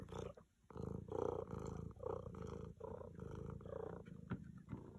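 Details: Tabby domestic cat purring loudly while staying on a treadmill: a steady, rhythmic rumbling purr in pulsing breaths about every second, with a brief click near the end.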